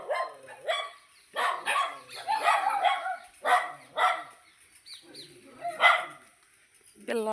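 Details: Dogs greeting walkers on a morning outing, excited by the people: wavering, whining yelps and short barks in irregular bunches, overlapped by a person speaking throughout.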